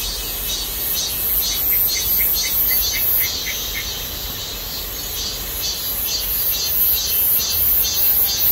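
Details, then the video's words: Cicadas singing at midsummer in a persimmon orchard, their peak chorus said to signal summer's passing: a loud, high, pulsing buzz repeating about twice a second, with a steady low rumble beneath. "감나무 밭의 매미소리 - 여름이 지나가고 있다는 한여름의 매미소리"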